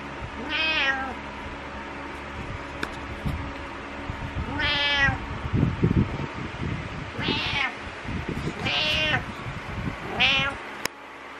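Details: Domestic cat Butters, needy in the morning, indoors: five loud harmonic meows, each rising then falling, spaced through about eleven seconds, with low thumping handling noises between them.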